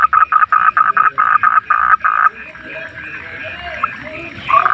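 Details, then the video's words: A wild frog at night giving loud rapid croaks in quick pulsed bursts for about two seconds, then a quieter background of softer calls and a faint high hum, with another burst starting at the end. "Relaksasi suara kodok penghantar tidur"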